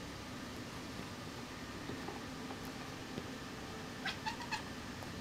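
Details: Kitten Sql stalking a fly indoors, making what sounds like barking: after a quiet, noisy room stretch comes a quick burst of three or four short, clipped harmonic chirps in rapid succession.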